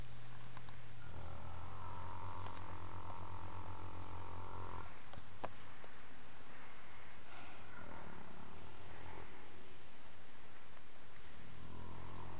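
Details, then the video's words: Tired after an afternoon romp, the male Fox Trotter Dream rests in hay and hums in his sleep: a smooth, sustained low tone for nearly four seconds, a pause with faint rustling, then the hum returning at the end. "Horse snoring/humming"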